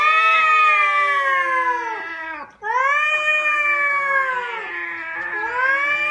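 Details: Cat giving long drawn-out wailing cries, strongly harmonic, each falling in pitch, with a brief pause midway before the loud yowling resumes.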